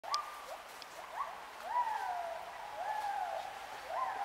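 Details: Gibbons in Khao Yai National Park, Thailand, on 11 December 2016, give clear hooting calls that slide upward and drop, repeated in overlapping rising phrases.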